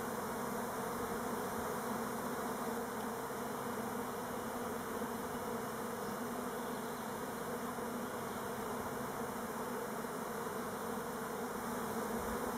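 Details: Numerous Elgon Buckfast honey bees flying orientation loops on Timrarö, near Stockholm. An unbroken, broad buzzing hum from the crowd of bees stays level throughout.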